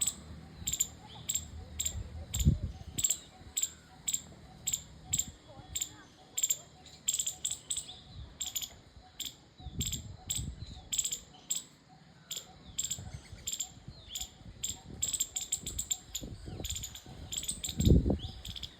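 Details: Squirrel chirping: sharp, clicky chirps repeated in uneven bursts, some quick runs and pauses, with occasional low thumps beneath.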